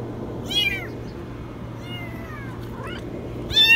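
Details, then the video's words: High-pitched meows from a kitten trapped in a washing machine: a short wavering call, a thinner falling one, then a loud sharp cry at the end, with a constant low electrical hum underneath. "Kitten stuck in the washing machine meow very high"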